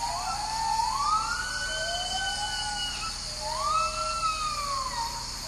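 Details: Agile gibbons in the high canopy of Sumatra's Harapan rainforest, Indonesia, around 5 am: a female great call in duet with a male, with long, siren-like rising and falling wails over a steady hum of insects.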